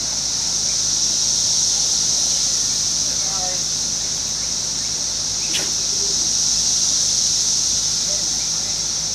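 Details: Fairfield, Ohio, June 5, 2021: an intense continuous buzzing wall of sound from emerging 17-year cicadas of Brood X near a residential woods edge, with a person speaking faintly and one sharp click midway.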